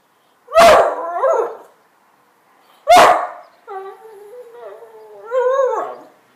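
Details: Playful barking from a two-year-old male whippet excited by a broom: a sharp bark trailing into a whine, a pause, another bark, then long wavering howl-like whines rising at the end.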